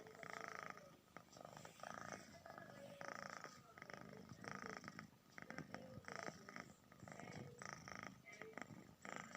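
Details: Cat snoring steadily, a series of rough, airy rasps repeating about once a second with brief pauses, over a constant faint electrical-sounding hum.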